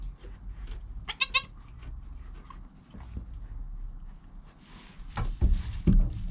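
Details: Joel, a baby goat less than an hour old, with his mother Penny, captured by GoPro: one quick quavering bleat early on, followed by rustling, bumps and louder handling noises toward the end.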